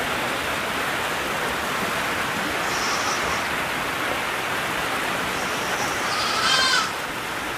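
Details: Black goats at a friendly experience farm of about 3,000 animals on Jeju, on a rainy day; constant rain hiss fills the recording, then one short, harmonic, nasal bleat rises near the end.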